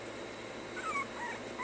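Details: Puppies learning to stay let out a cluster of thin, high whines. Each one rises and then falls away, and a couple of shorter whimpers follow over a soft room hiss while someone repeats commands.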